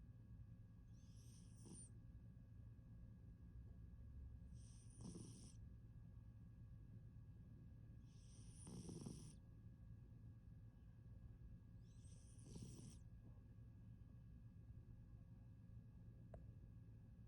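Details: Persian cat sleeping and snoring indoors: four breathy snore bursts about every four seconds, each with a hissing high-pitched upper band and low rumble, over a steady low hum.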